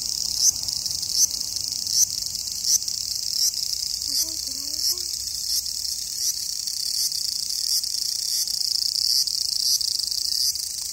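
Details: A cicada in summer, possibly in Japan, gives a steady, high-pitched, shrill buzz that drones on without pause, pulsing slightly.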